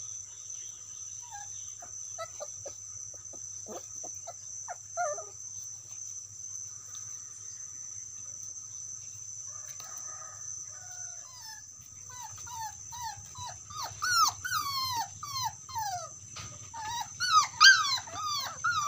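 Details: Dog calling out to its friend, starting with faint scattered squeaks, then a fast string of thin descending whimpers that grows louder and more insistent in the second half, over a constant high-pitched background tone.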